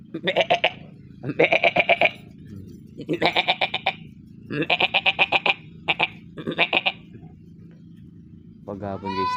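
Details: Pet goats in the afternoon, settled in their pen: rapid tremulous, pulsing bleats in several bursts of about a second each, ending with a smoother rising cry, with a constant low hum behind them.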